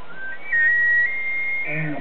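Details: A single bull elk bugles periodically at 6:50 AM in Yellowstone Park while its herd grazes. A high whistled tone slides upward and holds steady, then breaks into lower, rougher grunting notes at the end.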